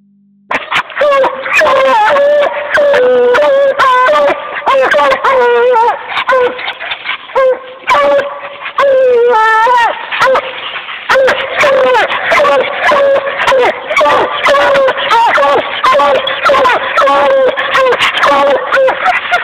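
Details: A volunteer-kennelled Bluetick Coonhound gives long, wavering, mid-pitched howls, voiced almost without pause.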